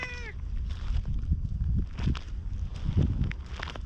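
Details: Ginger tabby street cat, a community cat filmed on a GoPro, chattering in cat talk while following after a brief petting: one short harmonic meow at the start, then footsteps and low rustling noise.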